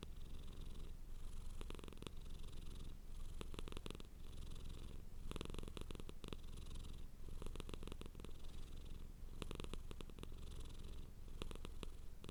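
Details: Cat purring hard up close: a strong low rumble pulsing in a steady breath rhythm, with bursts of fine crackling on the louder phases.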